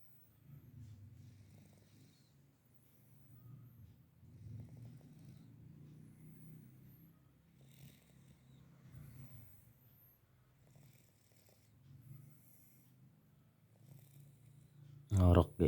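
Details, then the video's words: Sleeping domestic cat snoring while dreaming: soft, low rumbling snores rising and falling in slow breathing swells about every one to two seconds over a quiet room, ending with a sudden loud knock. "Kucing tidur Ngorok sambil menikmati mimpi"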